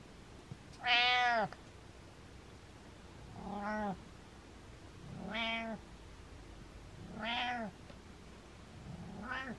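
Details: Domestic cat named Butters meowing five times, one loud drawn-out meow followed by four softer, shorter meows spaced roughly two seconds apart, each with a rising then falling tone.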